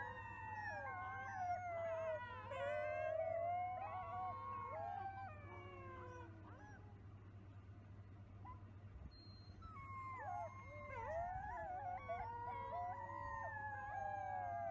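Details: Several wolf pups howl together, their thin wavering voices crossing and sliding up and down over a steady low electrical hum. The chorus pauses briefly midway, then resumes.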